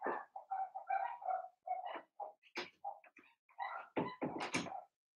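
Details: Blenheim Cavalier King Charles Spaniel puppies, Remy's first litter, heard quietly in their pen: a busy, near-continuous string of small yaps, squeals and whiny notes overlapping, ending with a few sharper, noisier barks.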